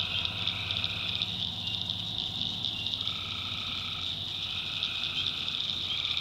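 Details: Night chorus of tree frogs from a swamp in the backwoods of North Carolina. A constant shrill high band of calling sits under intermittent mid-pitched buzzing notes, each held a second or more, with faint low droning beneath.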